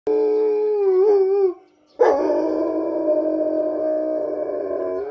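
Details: Black East European Shepherd dogs howling in response to police sirens: sustained harmonic howls with wavering pitch, a brief break after about one and a half seconds, then a long steady overlapping howl.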